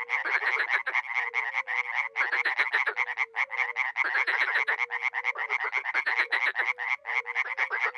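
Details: Small pond in Miroslovesti, northeast Romania, in spring, with dozens of frogs and toads calling at once: rough buzzy croaks pile up continuously, joined by short low fluty notes repeated irregularly.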